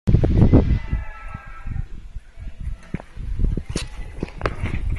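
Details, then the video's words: Max, a Cavalier King Charles Spaniel, snorting through his nose during a walk outdoors, diagnosed by a vet as reverse sneezing: a loud burst of rapid, low, rough snorts at the start, then softer, irregular snuffling pulses continuing at a quick rhythm. "逆くしゃみ キャバリアのマックス君"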